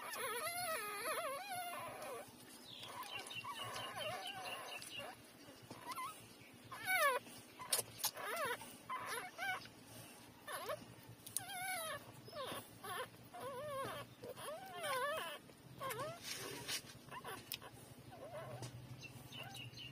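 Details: Newborn puppies, three days old, squeal and whine while breastfeeding from their mother; high wobbling cries come in quick runs and scattered single yelps over a low steady hum and shuffling.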